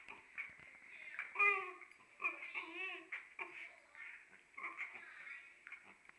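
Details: Okami, a dog wanting to play, fusses at Urd, who cannot hear him: a run of high, wavering whines and yodel-like cries in quick bursts, some rising and falling, with short breaks between them.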